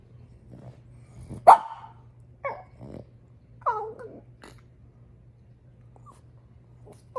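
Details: Upset female French Bulldog complaining about her toy: one loud sharp bark, then short rising-and-falling vocal grumbles and yips, spaced apart, ending with a small yelp; a low steady hum underneath.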